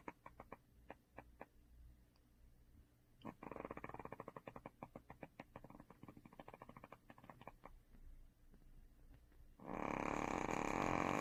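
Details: Duhee the dog snores in her sleep, a string of sharp vibrating ticks that swells into a rattling run, ending in a loud rushing breath or rustle.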